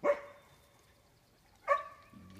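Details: A Great Pyrenees dog eating with its owner and doing tricks for bites gives two short, sharp barks about 1.6 seconds apart, with a man's voice nearby.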